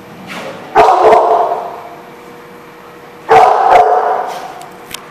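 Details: Dog barking, recorded 13 November 2015: two loud, sharp barks about two and a half seconds apart, each ringing on with a long echoing tail.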